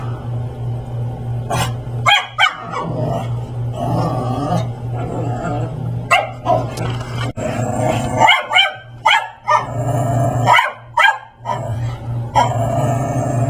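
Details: A Brussels Griffon dressed in a raptor Halloween costume harasses a Persian cat indoors: short sharp barks and yips in irregular bursts, with growly stretches between them over a steady low hum.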